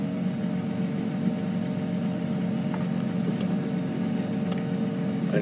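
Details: Steady low vehicle engine hum with a few faint clicks, and no animal voice.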